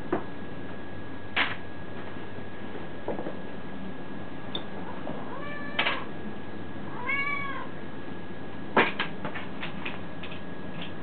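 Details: Pet cats meowing indoors: after scattered knocks and clicks, a short meow comes near six seconds and then a clearer, drawn-out rising-and-falling meow, with sharp tapping sounds near the end.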